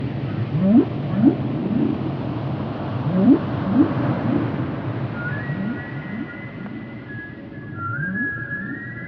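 Whale calls: low upswept moans repeated roughly twice a second, then higher drawn-out tonal whistles.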